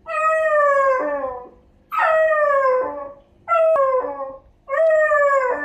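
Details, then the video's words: Miniature Dachshund puppy, six months old, crying at night wanting to go out; four long, loud, slowly falling howl-like whines, each about a second, repeated roughly every one and a half seconds. "Can't stop our Cute Mini Dachshund puppy from crying to go out at night.."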